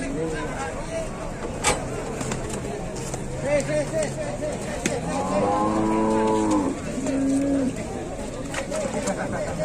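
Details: Large cattle during unloading, a steady low moo in the early seconds and a strong, rich moo around five to seven seconds, set against clanks, vehicle rumble and people talking.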